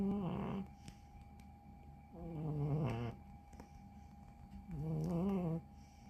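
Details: Deeply sleeping ex-stray cat giving three gravelly, buzzing snores, each about half a second to a second long, spaced around two seconds apart in a quiet room.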